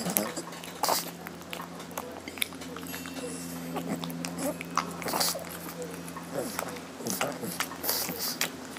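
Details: Lotte, a hungry female pug, making happy sounds while eating her meal indoors: rapid wet chewing clicks and snuffles repeated through the clip over a steady low electrical hum, with faint voices in the room.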